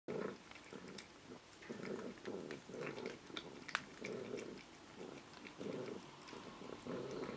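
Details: Amelie, a foster cat over 20 years old, purring while she feeds: a steady low rumbling purr that swells in rhythmic pulses about twice per second, broken by sharp clicks of chewing.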